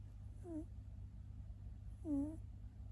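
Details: British Shorthair dilute calico female named Tekoi, five years old, snoring while asleep in her felt winter bed: two short tonal snorts with a falling pitch, about 1.6 seconds apart, over a steady low indoor hum.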